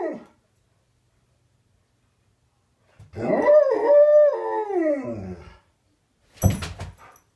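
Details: An Alaskan Malamute coming upstairs in the morning to say good morning gives a long, wavering howl as a greeting.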